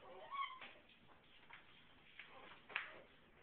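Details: A female Alaskan Klee Kai gives a short, whiny, meow-like call, upset that her puppy daughter's smell was washed away, with people talking quietly nearby.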